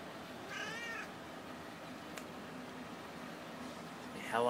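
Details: Domestic cat answering an owner's hello prompts indoors: a brief harmonic meow near the start, a faint second meow near the end, a sharp tap midway, and a person's voice saying hello.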